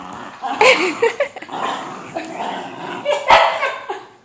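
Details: Whippet mix dog barking while it tries to get at a balloon before its brother wrestles it. Sharp barks with yips and rustling in between, a louder bark at the end.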